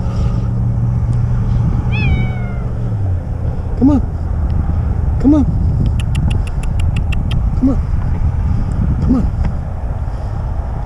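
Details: Cat stranded six days in a tree gives a clear drawn-out meow, then shorter, lower mews repeated about every one and a half seconds, amid a rescuer's coaxing voice, a rapid clicking burst, and steady wind rumble.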